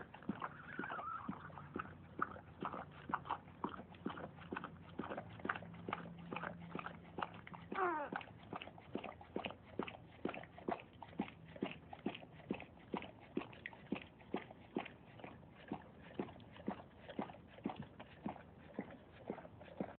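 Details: A dog in labour, giving birth to puppies: fast rhythmic panting pulses, roughly two per second throughout, broken by a short falling whine near the start and a rising squeak midway, over a faint low hum.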